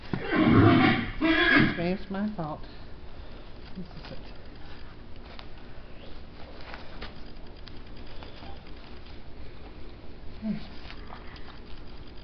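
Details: Six-year-old Missouri Fox Trotter mare Pillow Talk during saddling, with snow and sleet outside: a loud, wavering neigh opens the recording, rising and falling over about two seconds, then quiet handling noises and a low murmur of speech.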